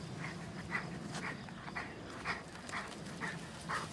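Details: Nerius, a two-year-old Cane Corso, tracking horses by scent through wasteland and woods to fetch them; soft, breathy rhythmic bursts repeat about twice a second at low level over a faint outdoor rustle.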